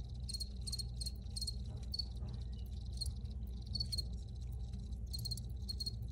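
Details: Recorded crickets make rapid, high-pitched pulsed chirps roughly twice a second, a steady rhythmic pattern with brief gaps, set against continuous low-frequency background noise.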